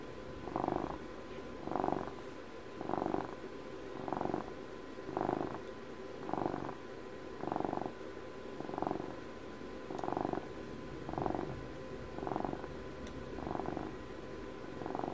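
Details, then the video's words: Close-up purring of a pet cat: a pulsed, rumbling purr in steady breath-length bursts about every 1.2 seconds, each louder phase separated by a quieter lull, over a faint constant hum. "ASMR CAT PURRS"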